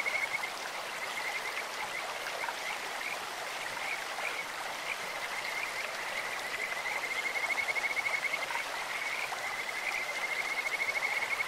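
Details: In a clear stream, Kajika frogs give long runs of fast, high trilled notes, sweet and almost birdlike, strengthening in the second half, while the water keeps up a broad, even rushing noise beneath.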